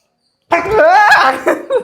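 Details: Pet dog being bathed at home, coaxed in Telugu and resisting the wash: a loud, drawn-out vocal whine with a clear tone that rises and wavers for about a second, then trails into shorter cries, with a woman's voice around it.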